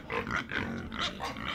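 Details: Farm pig grunting and oinking continuously: throaty, nasal grunts in quick succession, roughly every quarter second, with occasional squeaky squeals over a rough, noisy background.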